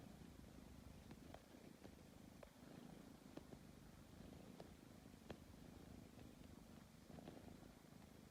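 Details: Tabby cat kneading before going to sleep, a steady low purr running throughout, punctuated by brief sharp ticks roughly every half second to second from its paws.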